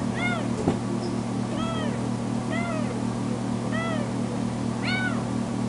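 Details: Recently spayed female foster kitten crying indoors when left alone in a bedroom, meowing very loudly: five drawn-out, arched, harmonic-rich meows about one second apart, one sharp click early on, over a constant low mechanical hum.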